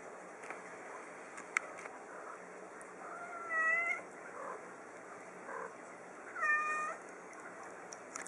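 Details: A small three-year-old female pet cat meowing while playing fetch; two soft, drawn-out harmonic meows about three seconds apart, each bending slightly in pitch, over a steady hiss with faint clicks.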